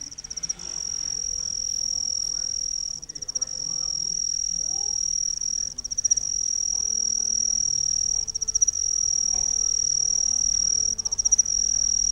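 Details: Cricket calling with its wings: a steady high thin trill, nearly continuous, with brief dips and stutters every few seconds; faint low background rumble.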